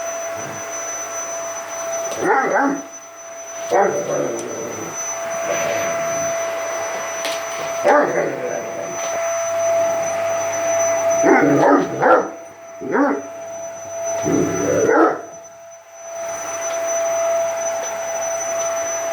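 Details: Seven-month-old Great Dane barking at a running vacuum cleaner indoors; short bursts of barks come in clusters every few seconds over the steady whine of the vacuum, with a person's voice briefly heard.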